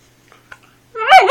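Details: Luna, a 4-month-old Siberian Husky with the hiccups, whining about it indoors; after near silence with a few faint clicks, a single high, harmonic whine rises then falls at the end.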